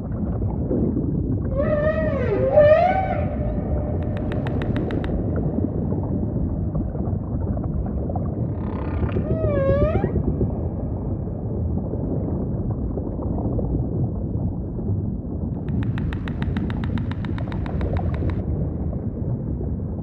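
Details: Ocean ambience carries the humpback's song: two clusters of bright, looping up-and-down harmonic cries about seven seconds apart, each trailed by a buzzy pulsed tail. A quieter buzzy stretch comes later over a continuous low rumbling sea background.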